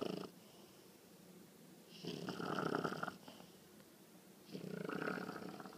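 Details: A 20-week-old female English bulldog puppy snores while asleep in deep, rattling breaths roughly every two and a half seconds; the loud snoring began only a few days earlier.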